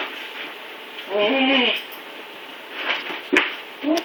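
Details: Recently neutered male Siberian husky puppy Blizzard struggling on the stairs gives one short, steady whine, followed by a couple of faint brief whimpers amid quiet room noise and a light knock.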